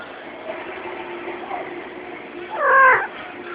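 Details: A mother cat nursing her kittens, apparently surprised by someone coming too close, gives one loud drawn-out meow that rises and falls, after a quiet stretch of soft rustling and faint background noise.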